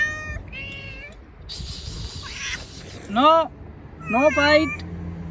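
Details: Hungry cats outdoors eating cut fish; two loud, bending harmonic meows arrive in the second half, after softer murmurs, a burst of broadband noise and some background voices.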